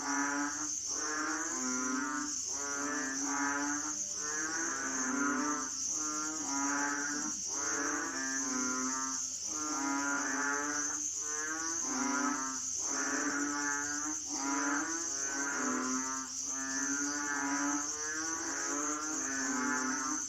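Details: Chorus of Asian frogs giving rich, buzzy, moaning calls that pulse in regular waves about twice every three seconds, many voices overlapping, over a steady high-pitched insect whine.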